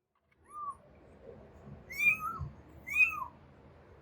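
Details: Kitten crying while searching for its mother: three high, thin mews, the first short and soft, the last two louder with a sharp upper tone and a lower falling note, spaced about a second apart over quiet background.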